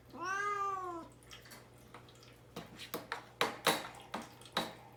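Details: One long, falling meow from Mamedaifuku, a cat caged and fasting ahead of neutering and wanting release, followed by sharp clicks and knocks indoors.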